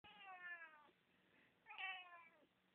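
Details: A one-year-old Siamese cat making cute little noises for the camera: two drawn-out, harmonic meows, the first falling in pitch over nearly a second, the second shorter and brighter after a brief pause, with quiet room hum between them.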